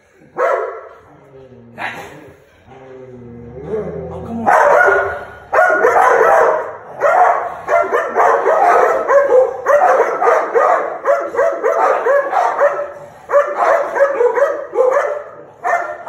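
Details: An American Pit Bull Terrier, recorded on 27 September 2019, snarls in rough, raspy bursts after a few brief whines.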